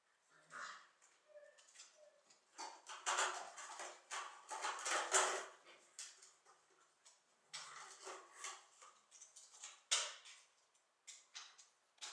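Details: Keeshond puppies, seven weeks old, from a recent litter, give short whining yelps and whimpers in bursts, mixed with loud clattering and scuffling noises throughout.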